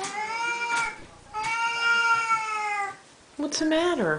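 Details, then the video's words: Indoor Siamese cats at breakfast feeding time: two long sustained meows, the second nearly one and a half seconds, then a shorter meow that bends downward at the end, while a person chats to them. "Our Siamese kitties at feeding time... again"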